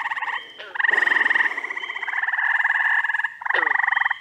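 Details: Chorus of frogs in upstate New York in early June: rapidly pulsed, rattling trills running almost continuously, briefly broken by a short pause and a quick descending chirp.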